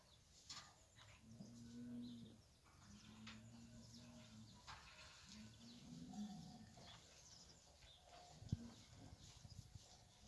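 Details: Fighting bulls (ganado bravo) eating: low, drawn-out moos lasting one to two seconds, repeated several times, heard faintly under steady background noise and scattered clicks.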